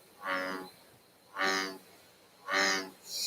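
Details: An American bullfrog gives its content sitting call, a series of deep, buzzy, drawn-out croaks about once a second, likened to a giant bumblebee or a cow; Connecticut frog.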